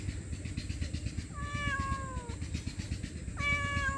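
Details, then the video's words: Poor homeless stray cat, hungry and meowing loudly for food and shelter, utters two long drawn-out meows, each starting with an upward flick then sliding gently down, over continuous low rumble. "Hungry Poor Stray Homeless Cat Meowing Loudly For Food & Shelter"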